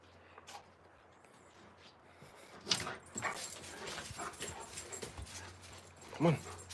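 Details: Giant Alaskan Malamute puppies Moose and Raven playing outdoors in spring give short yips and whimpers, a sharp yelp near the end, while a person calls encouragingly to them over steady low background hum.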